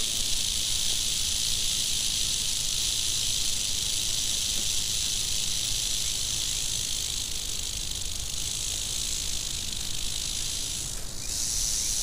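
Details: Angry western diamondback rattlesnake rattling: a steady, dense, hissing buzz that holds unbroken for the whole stretch, with no other clear sounds.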